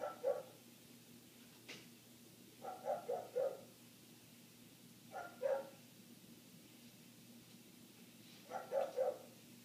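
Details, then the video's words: A neighbouring dog barks on and off, heard indoors through shut windows. Single barks alternate with quick runs of three or four, separated by quiet gaps of about two seconds, over a faint hum and one brief click. "Dog Barking"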